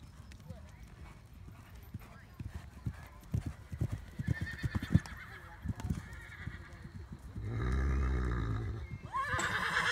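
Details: Welsh Cob horse: hooves clip-clop for about seven seconds, then a low, harmonic neigh lasting over a second, followed by a brief human voice at the end.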